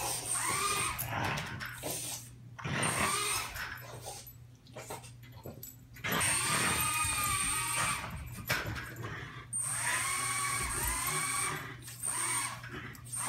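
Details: Indoors, a French Bulldog, unhappy about a small toy race drone being flown, gives short, tonal barks and yelping whines over the drone's steady high-pitched motor whine.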